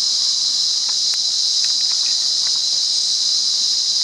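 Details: Wild cicada song recorded in Monaragala, Sri Lanka, a continuous shrill, even buzz with no pauses or change in pitch, overlaid by occasional soft taps and rustling sounds.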